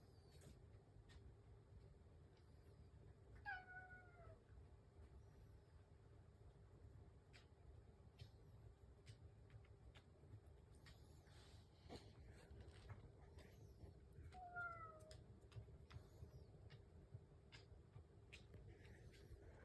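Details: House cat meowing while waiting for its breakfast in the morning: two clear, drawn-out meows, one near 3.5 seconds and another near 14.5 seconds, each with a falling tone, over a low steady household hum and faint clicks.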